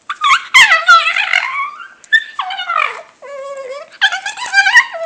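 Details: Pet dog making weird noises: loud, drawn-out, wavering howl-like whines in several long bursts, sliding and trembling in pitch, rich and nasal, with brief pauses between.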